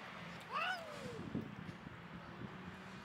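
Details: Mother cat with a litter of seven kittens, including two adopted orphans; one clear rising-then-falling meow near the start, followed by soft low murmurs over a steady background hum.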